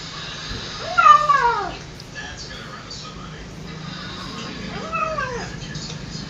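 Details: Hungry cat eating fish alone, not sharing its food with its mother; two drawn-out descending meows, the first louder around one second, the second softer near five seconds, over low background hum and a spoken voice.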